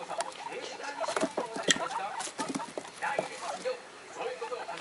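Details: Three young pet guinea pigs, Komachi, Yokihi and Cleo, aged about one to one and a half months, excited indoors, with a rumbling "rururu" said to show displeasure; rapid chattering squeaks and short high chirps over television sound.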